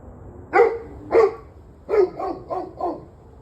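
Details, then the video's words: Dog recorded on 21 November 2023 at about 7:06 pm, giving two spaced barks followed by a run of four quicker, slightly softer barks, over faint background hum. "Barking Dogs"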